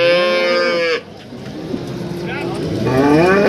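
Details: Breeding cow at a cattle market in East Java, Indonesia: a strong, steady moo lasting about a second cuts off abruptly, followed by market noise and the start of a rising lowing call.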